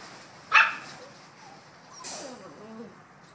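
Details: Bouvier des Flandres puppies, 7.5 weeks old, playing and complaining they have not had breakfast yet: one sharp high yip, then a second yelp trailing into a thin falling whine, with quiet background.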